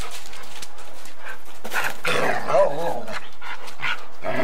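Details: A Golden Retriever and a Samoyed playing bitey face and chasing each other, recorded on 8mm tape: rough, broadband mouthy bursts and short growly vocal sounds, loudest around the middle, over steady tape hiss.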